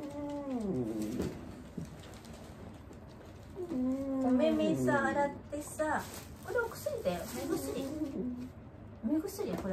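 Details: Old dog Wanta, vocal whenever awake during nursing care by Kumiko Oba, utters repeated quavering, bending moans, first isolated, then a run of shorter wavering cries with small knocks in the room.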